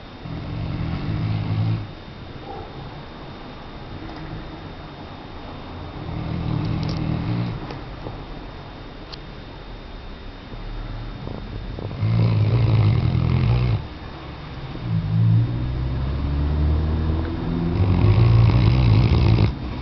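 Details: Weimaraner named Tchesco snoring: low, rumbling harmonic breaths in separate bouts, a long one near the start, then several louder, rough snores toward the end, with a steady background hum between them.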